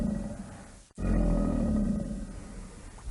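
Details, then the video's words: Alligator bellowing: a deep, rumbling, sustained roar with low growling tones, broken by a brief cut near the start, then continuing steadily to the end. "Som de Jacaré"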